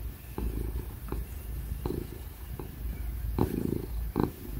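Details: A happy ginger domestic cat purrs loudly while being petted and cuddled, a steady low rumbling hum with soft rhythmic pulses, with laptop fan noise in the background.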